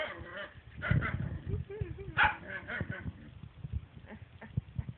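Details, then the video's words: Jealous dog making strange talking noises while its owners pet the cat: a run of whiny, harmonic yowls and grumbles that rise and fall in pitch, several bursts in quick succession, with a louder squeal near the middle. "Jealous dog talks for five minutes"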